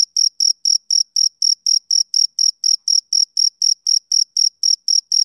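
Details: Rhythmic chirps from a male cricket on a summer evening: short, shrill, uniform bursts, close to four each second, held at a constant loudness against total quiet.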